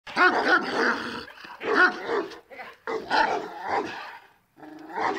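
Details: Bully Kutta named Ragu, a male over 34 inches tall from a famous bloodline, giving loud, harsh harmonic barks and growling whines in four bursts spread over about five seconds, with short quiet gaps between them.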